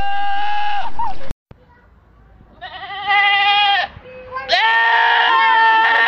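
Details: Goats letting out humanlike screams: a short cry breaks off abruptly, followed after a quiet pause by two long, piercing, rasping yells, the last rising sharply at its start.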